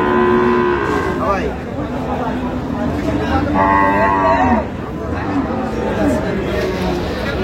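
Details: Cows with calves at Ambari Haat market in Dinajpur, Bangladesh, on market day, 31 October 2025; a long low moo opens, then further drawn-out lowing calls sound amid crowd chatter, voices and market bustle.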